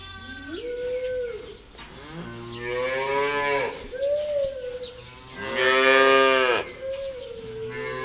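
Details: Farm cow mooing repeatedly: a short nasal call, then two deep, strained moos, the last the loudest and most open, each breaking off abruptly, with a brief rising grunt at the close.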